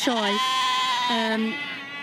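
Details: Welsh Black Mountain sheep bleating: a long, steady, drawn-out bleat followed by a shorter second one at a similar pitch, with music and Welsh speech in the background.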